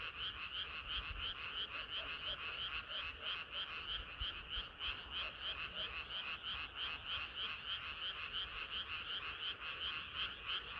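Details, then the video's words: Summer-night frog chorus: steady, rhythmic pulses of high croaking roughly three per second, layered calls from several frogs, continuous throughout with a faint low rumble underneath. "개구리들의 합창은 끝이 없어라"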